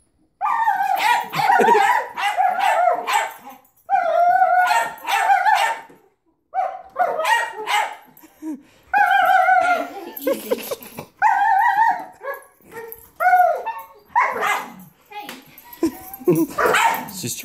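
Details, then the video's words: German Shepherd vocalising at a vacuum cleaner: long runs of loud, wavering, half-howled barks and yelps in bursts of one to two seconds with brief pauses, continuing steadily throughout. "German shepherd vs vacuum"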